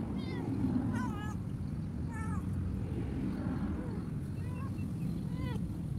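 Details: Cat thrown away beside a road, far from any food, meows repeatedly: five or so short, bending cries spaced about a second apart, against continuous low traffic drone.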